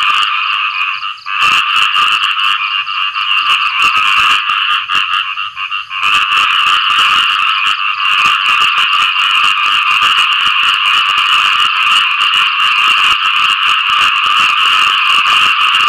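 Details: Loud khiat i-mo frog courtship calling following rain, rapid rattling pulses merging into a steady buzzing drone, with a couple of short dips early on before it runs unbroken to the end.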